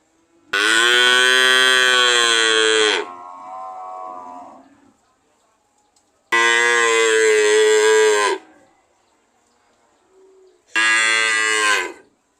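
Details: Cow mooing three times: a long, loud moo followed by a softer lower tail, a second two-second moo, then a shorter one, with quiet gaps between.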